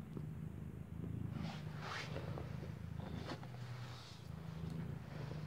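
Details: Low purring from a mother cat beside her newly born kitten, eyes still closed, while it suckles; rumble steady underneath several short rustling and shuffling noises.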